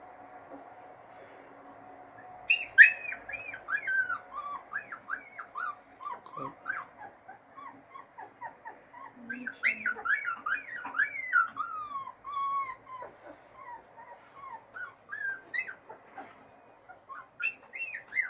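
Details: Siberian Husky puppies of Litter A, three weeks old, from Bella and Blue, out in fresh air for the first time: bursts of high, squeaky whimpers and yelps with quick rising and falling pitch, several pups overlapping, quiet background.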